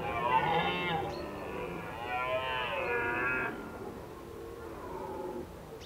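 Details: Autumn red deer recorded at Krasny Bor, 1 October 2015, Indian summer weather. A loud, wavering, harmonic-rich bellow rises and falls for about three seconds, followed by a softer, lower moaning call.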